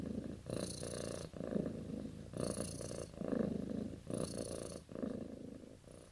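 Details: A sleeping, dreaming cat purrs steadily, a low rasping rumble rising and falling with each breath in about six even pulses, each under a second long, with faint higher hiss above; quiet indoor setting.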